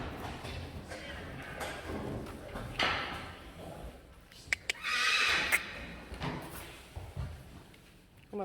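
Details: Friesian horse mares Eefje and Sjirkje, recently weaned from their fillies, put in front of a cart together for the first time; a loud, shrill whinny rises mid-clip after a shorter earlier one, with Dutch speech and hoof clops around it.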